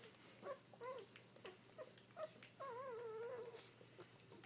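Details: Newborn Dobermann puppies just after birth, seven born so far while their mother is still delivering more. Thin, high squeaks and whines: short ones at first, then a longer wavering whine near the end, in a quiet indoor room.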